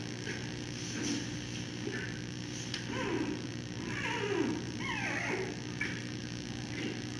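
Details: Giant panda cub in its mother Mei's arms on a Thursday evening, 10 September 2020, around 9:30pm, throwing a mini tantrum just after nursing; wavering, sweeping squeals rise and fall mid-clip over a constant low mechanical hum.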